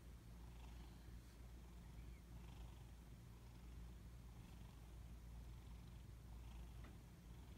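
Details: Sleeping house cats snoring indoors, a low continuous rumbling breath sound with regular soft pulses, quiet room background.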